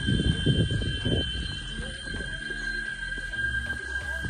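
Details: Cicadas (chicharras) drone steadily in a high, continuous, ringing buzz at one pitch, heard about halfway along a hiking trail through varied vegetation to the Peñón de Comasagua, La Libertad, El Salvador.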